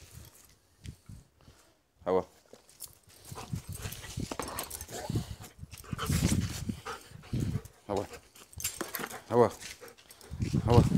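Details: A playful German Shepherd, one year and two months old, gives a few short, sharp barks spaced several seconds apart, while a man talks to it throughout, urging it on with repeated spoken imitations of barking.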